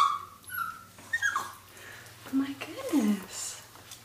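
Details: Pet Toy Fox Terriers reacting to a turtle they are meeting for the first time, indoors; high falling whimpers and squeaky yelps mixed with a woman's voice talking to them.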